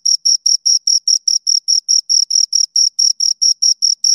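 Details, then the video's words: Two crickets chirp in a crisp, even rhythm, about seventeen high shrill pulses in four seconds, each brief burst clearly separated by silence. "Two Crickets Chirp Sounds"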